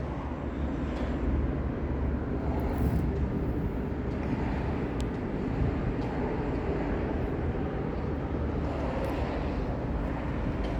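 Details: A steady, loud rumble like a vehicle or wind outdoors fills the whole stretch, with no animal call.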